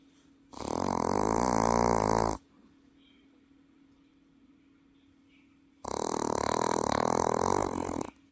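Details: A Welsh Corgi asleep in Paju lets out two drawn-out, grinding snores, the second longer at over two seconds, separated by a few seconds of near silence in a small indoor room.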